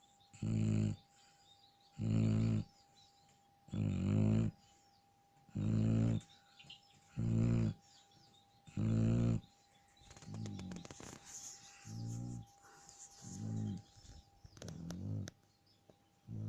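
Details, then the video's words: Snoring Shar Pei, asleep: six strong, gravelly low snores at even two-second intervals, then softer, uneven snores mixed with rustling and clicking noises toward the end. "Шарпей храпит"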